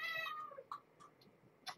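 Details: Impatient mother cat with her kittens at a night feeding, giving a clear wavering meow that slides downward and fades, followed by faint clicks and small rustling noises in a quiet room.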